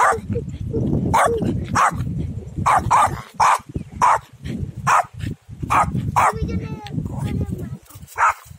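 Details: A Pomeranian on a field gives a quick run of sharp, high, yappy barks, several each second.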